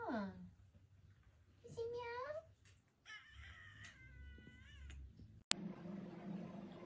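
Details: Domestic cat giving a series of drawn-out, wavering meows, some rising then bending down, with a brief human voice before them and a sharp click near the end, indoors.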